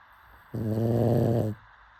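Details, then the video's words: One harsh, rumbling inward snore from a pug asleep, about a second long, deep and rattly with stacked overtones, quiet before and after. "Pug snoring"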